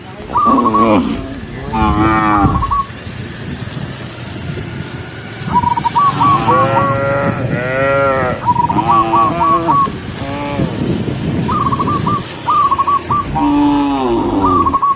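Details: Herded tame cows on a peaceful countryside road moo repeatedly: deep, wavering lows, several overlapping in the middle stretch. Rapid series of short whistled notes break in between, over a low rumble of movement.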